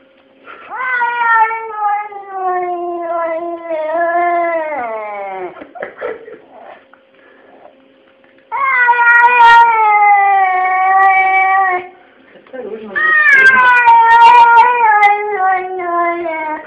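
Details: Domestic cat Kesha complaining about its lot: three long, mournful meows, the first sagging downward at its end, the others loud and sustained with slight wavering.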